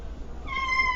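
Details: Domestic cat giving a single short meow that starts halfway through, a steady clear tone held to the end over a low background hum.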